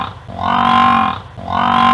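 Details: Wildebeest voice, a pair of sustained, moaning, buzzy calls of even pitch, each lasting about three-quarters of a second and separated by a brief gap; clean recording without background noise.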